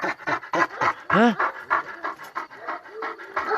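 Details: Purebred Kangal shepherd dog of a wolf-working line, panting hard after facing a wolf: quick breathy huffs around three a second, broken by one short rising-falling whine, while a man speaks softly nearby.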